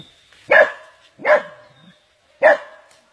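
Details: Dog under attack by an anaconda, giving three sharp, loud yelping barks spaced about a second apart, each a short harsh burst with a brief tail, in an otherwise quiet background.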